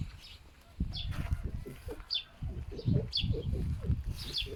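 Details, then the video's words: Pet foxes rescued from a fur farm make pig-like grunting noises during strong winds: dense, rapid, low throaty pulses, about three a second, broken by a brief pause, while birds chirp high in the background. "Foxes make grunting noise like a pig"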